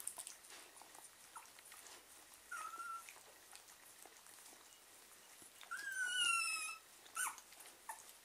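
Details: German Pinscher puppies during feeding, one group having already drunk while the other half drinks; a short whistled whine at about two and a half seconds, then a louder, longer, slightly falling whine with overtones near the six-second mark, over faint rustling.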